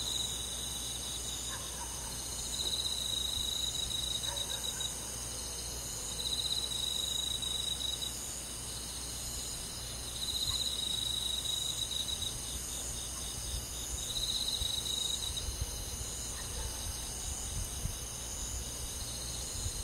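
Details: Countryside insects on a midsummer night, led by crickets: bursts of rapid, high pulsed chirping roughly every four seconds over a continuous thin ringing background, with a faint low hum.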